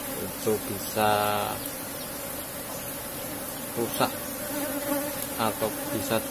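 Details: Asian honey bee colony in a cultivated box hive during honey harvest; a steady low droning hum runs throughout, with short voice-like harmonic bursts laid over it.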